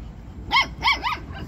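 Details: Jack Russell Terrier filmed for stud breeding: three sharp, bright barks in quick succession within about a second, the last slightly softer, over a low background hum.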